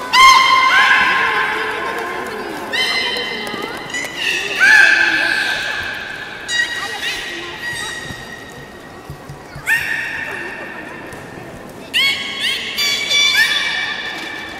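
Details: Public training session for belugas at Port of Nagoya Public Aquarium, 18 July 2016, afternoon show at 13:30. A busy run of squealing, horse-like harmonic calls, some rising and sliding, come in quick bursts and overlap, with crowd murmur underneath.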